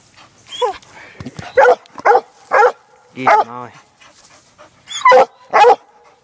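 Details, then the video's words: Young female Black and Tan Coonhound, six months old, on a laid coon trail: scattered loud barks with a drawn, wavering bawl in the middle, separated by quiet gaps with faint rustling. "Black n tan coon hound working coon trail"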